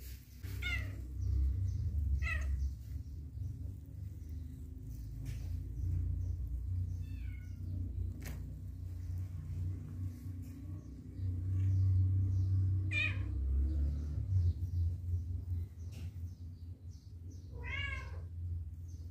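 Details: Pet cats reacting to a newly adopted cat; several short wavering meows and squeaky calls spaced a few seconds apart over a steady low hum, with faint thumps and rustling.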